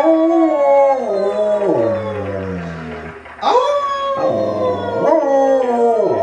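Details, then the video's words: Siberian husky howling in reply to its family, a drawn-out falling howl followed by several shorter rising-then-falling howls in quick succession, rich in harmonics. "A Howlin' Husky!"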